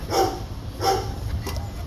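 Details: Two short, harsh barks about 0.7 seconds apart, then steady background hum. Recorded at Long Beach Animal Care Services, home to Gretchen, an 11-month-old female Belgian Malinois, and her five 7-week-old puppies.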